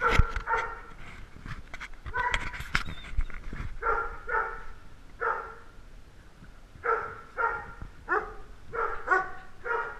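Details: Little dogs vying for camera time bark in short, clear, harmonic yaps, spaced irregularly about a second apart, with a brief noisy scuffle early on.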